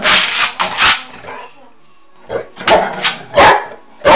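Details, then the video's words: Samson, a Boxer dog who loves chasing shadows and flashlights, gives several short, sharp barks during play, with quiet gaps between bursts and a person's coaxing voice mixed in. "Talking boxer dog."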